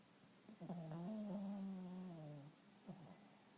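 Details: A pet dog lying comfortably and snoring indoors: one long, droning, tonal snore lasting about two seconds, level at first and then sagging lower, followed by short soft breathy puffs in a quiet room.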